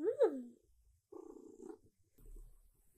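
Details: Siberia, a female silver tabby cat, meows during her morning routine at dawn, asking for breakfast and petting. A single loud meow rises and then falls, followed by a softer, murmured sound and faint rustling.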